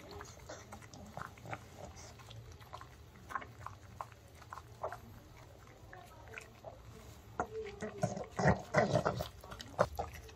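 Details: Indoor mukbang of a male pug, Ttungi, eating homemade chicken made for dogs; rapid snuffly chewing and lip-smacking, building into loud nasal snorts and crunches near the end.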